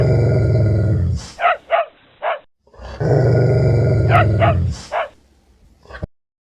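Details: A dog gives a long, deep, rumbling growl, then three sharp barks. A second long growl follows, then two more barks, with music in the background.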